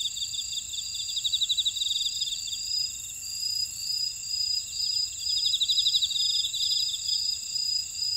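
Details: On Jeju Island, South Korea, grass insects in an Ora-dong buckwheat field keep up sustained piercing tones while separate callers add quick pulsed trills and clipped, repeated high notes.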